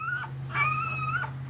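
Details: One-week-old Pembroke Welsh Corgi puppy, red/sable male, AKC registered, April 2020, gives a single thin, steady whine that falls away at the end, over a constant low electrical hum.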